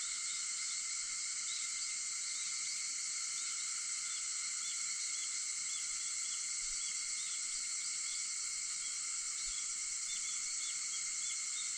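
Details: August 4 dawn recording at 4:50 of cicadas droning in a constant shrill wall of sound, with faint short chirps rising and falling above the steady hum.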